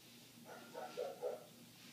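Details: A neighbour's dog barking, heard indoors through closed windows: three short muffled barks in quick succession over a steady low background hum.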